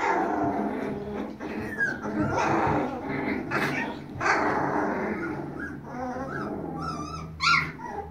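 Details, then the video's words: Siberian Husky puppies from one litter howling and whimpering. Muffled, dense chorus of overlapping cries, with thin wavering high notes standing out near the end. "Siberian Huskies Howling"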